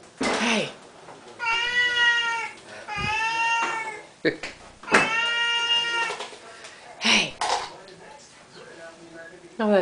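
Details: Siamese cats meowing for food at their daily feeding time, with a person speaking over them; drawn-out harmonic meows in short bursts mixed with clatter and talking.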